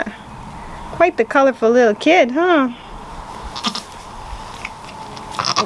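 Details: Baby goats, newly born, give a burst of four quavering bleats with a shaky wobble, bunched over about two seconds, then quiet room noise and faint voices.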